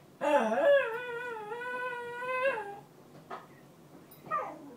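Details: Female Cairn Terrier crying over her bed indoors: one long, steady, high-pitched whine with slight wavering, then quieter short whimpers against faint room noise.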